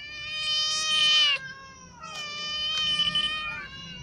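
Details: Ginger cat and a new white cat in a feeding dispute, the ginger one clawed while eating: two loud, sustained yowls, the first rising and then breaking off, the second long and wavering, with a brief pause between them.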